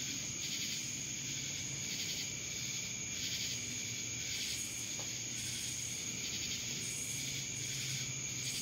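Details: Cicadas from Dallas, Georgia fill the air with a loud high buzzing drone that pulses in uneven waves, a piercing steady tone running underneath throughout.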